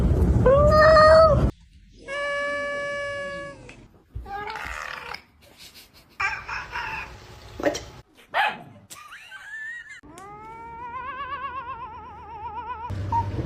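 A cat gives a run of short rising meows, then drawn-out, wobbling yowls that rise and fall in pitch. A person's voice is heard briefly between the calls.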